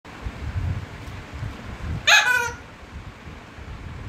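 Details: Labrador Retriever named Laiza, shown angry after being bothered by a small toy, gives one short, sharp, strongly harmonic cry lasting under half a second midway through, against a low indoor rumble and otherwise quiet room.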